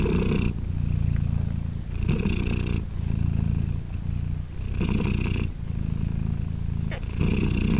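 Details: Low, rhythmic purr from British Shorthair mother Polina while her three newborn kittens, aged 3 days, nurse; the rumble rises and dips with each breath about every two and a half seconds, with soft breathy hiss at each turn.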